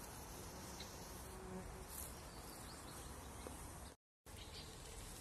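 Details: A shaggy bumblebee in summer, visiting fragrant hops, gives a low, steady droning buzz beneath a wash of outdoor background noise.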